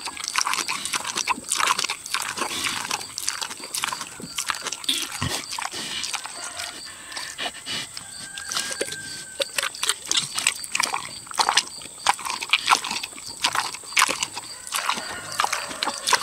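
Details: Boar pig, six years old, savoring tomatoes: dense run of sharp wet smacks and lip clicks, irregular and rapid throughout, some louder crunchy bites, over a constant faint high-pitched hiss.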